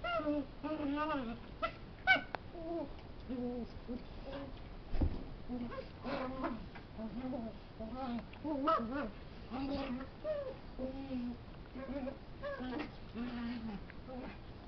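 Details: Puppy at play, wrestling with a big dog and making funny noises: drawn-out wavering whines and grumbling moans repeated irregularly, with a brief thump midway and a couple of sharper squeals.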